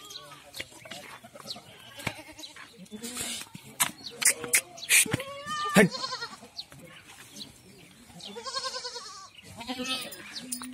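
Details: Goats on a goat farm in Ajmer and Kota, Rajasthan, India, where kids, females and males of several breeds are kept: wavering, quavering bleats rise and fall at irregular intervals, mixed with people talking nearby and occasional clatter.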